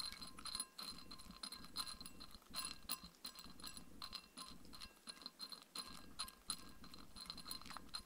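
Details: Mindy, a Shetland Sheepdog, eats her evening dinner of raw kangaroo food with coconut oil. Quick, steady, crisp crunching and chewing comes in rapid bursts, with a bright metallic ringing that recurs alongside the bites.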